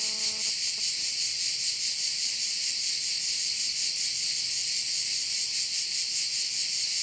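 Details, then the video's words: High, continuous cricket chorus over a bay in Korčula, Croatia, pulsing steadily; a brief low humming tone fades out in the first moment, then only the insects and faint low background noise remain. "view of one of the bays in Korcula with sounds of crickets"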